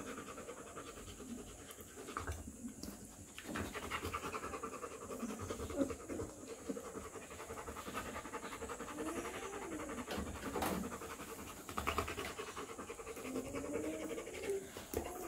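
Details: A three-week-old Rottweiler puppy pants steadily and lets out soft, rising-and-falling whimpers in the second half, with light scratching and a constant background hum.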